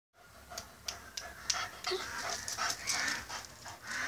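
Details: Male German Shepherd dog, offered for sale in Changanacherry, Kottayam, panting in quick breathy bursts, roughly two to three per second, with hissy airy texture and faint background noise.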